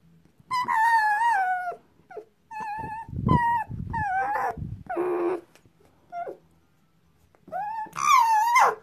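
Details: Tame fox, nervous after waking from sleep, squeals loudly while rejecting touch: long, strained, harmonic cries that waver and slide downward, repeated in quick bursts with short breaks between them, indoors.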